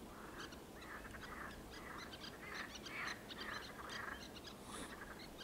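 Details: Water frogs croak in a dense, rattling chorus of nasal pulsed bursts, several each second, over a steady background hiss, on 16 May 2022, alongside little terns.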